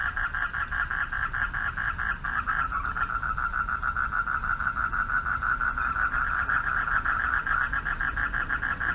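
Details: Pond at night where male frogs call for mates; overlapping fast pulsed trills, the rhythm shifting around three seconds into a steadier buzzing chorus, steady low hum beneath.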